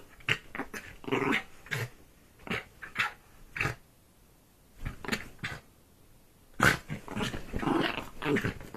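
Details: A pet dog killing a duvet produces clipped, grunting growls and snorts spaced by brief silences, ending in a longer rough snarl, indoors in a small room.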